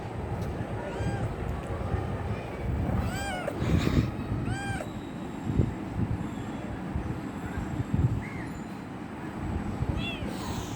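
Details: A kitten wanting affection gives several short meows early on, then a few fainter ones later. A steady low rumble sits beneath them, and there are scattered knocks.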